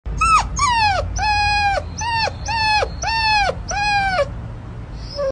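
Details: Puppy whining in a quick run of seven high, sliding whimpers. Each one starts around mid-pitch and bends down, about two per second, with a faint low hum beneath.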